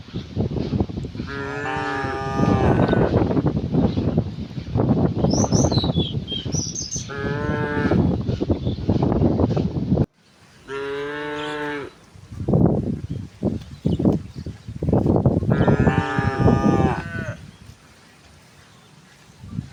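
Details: A herd of cows and oxen moving to wide green pastures in the morning sun, several harmonic moos over steady shuffling and trampling noise, with brief high bird chirps in between.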